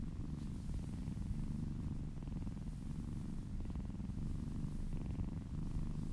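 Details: Kitten purring contentedly during a relaxing massage: an unbroken low, throbbing hum with a fast even pulse and light scratchy brushing sounds mixed in.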